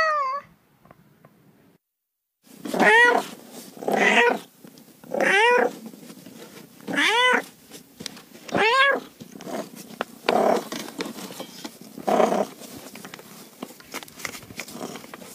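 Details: Domestic cat meowing in a long run of cat calls: after a brief early mew and near-silence, six arched, harmonic-rich meows follow about every one to one and a half seconds, the last ones duller and more muffled.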